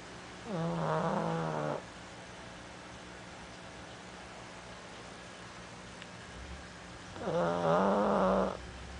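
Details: Pug snoring heavily while sitting. Two loud, rattling, harmonic-rich snores come about seven seconds apart, with a low steady hum between them.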